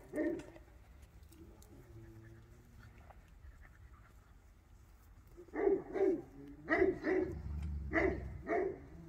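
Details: Young Pyrenean Mountain Dogs being introduced to alpacas: a single bark opens the clip, then after a quiet stretch comes a steady run of short, high barks, about one every half second.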